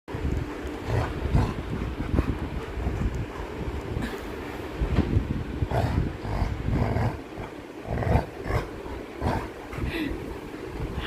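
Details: Coco, a pet Labrador Retriever in a playful mood, tugging at a toy: low, rumbling growls pulse irregularly under a person speaking Bengali close by, with handling noises throughout.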